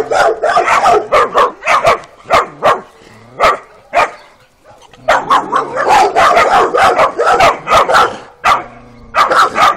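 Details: Two 12-week-old female Kuvasz puppies of a working line, out on their first street walk, give sharp yapping barks in quick irregular bursts, broken by short pauses and a faint low hum.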